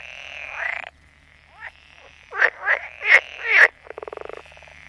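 Frogs croak in a series of harsh, pulsed calls, ending with a quick rattling trill.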